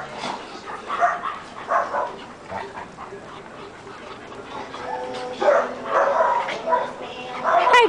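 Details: Several German Shepherds from a rescue group playing together, giving short broadband barks and yips in scattered bursts, with a woman talking warmly to the dogs between and over the calls.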